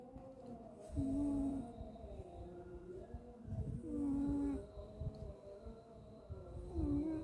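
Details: Sleeping pet cat named Suga snoring: soft low rasping breaths swelling about every three seconds, each with a brief steady whistling tone, in a quiet room.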